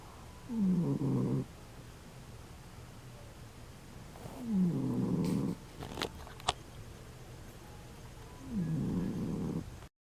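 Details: Old female dog sleeping and snoring like a freight train; three low, grating snores about every four seconds, each a short falling rasp, with a couple of faint clicks between them in a quiet room.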